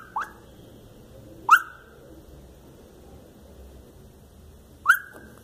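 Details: Lhasa Apso puppy having a nightmare: three brief, thin whistled squeaks, each dropping quickly in pitch, spaced about one and a half to three seconds apart, over near silence.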